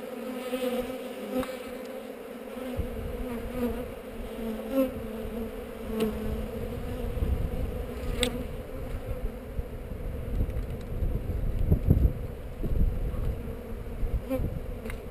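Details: Hive inspection among honey bees on heather, recorded with a GoPro: a continuous droning hum with a clear pitched overtone, overlaid by repeated low thuds and rumbling handling noise that swell and fade throughout.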